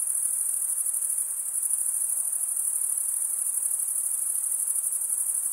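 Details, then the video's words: A chorus of male crickets stridulating forms one unbroken, piercing high trill with gentle rapid pulsation and steady loudness, over faint background hiss. "Most relaxing cricket sound"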